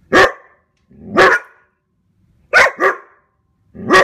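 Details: Standard poodles chase deer and bark to protect their owners: loud, harsh single and double barks, roughly one every second, with brief silences in between.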